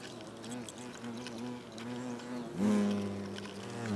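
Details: European hornets (Vespa crabro) at a nest, South Moravia, Czechia, August, engaged in food exchange; soft wavering hum of several hornets, then a sudden loud close buzz rising in pitch at about two and a half seconds and holding steady.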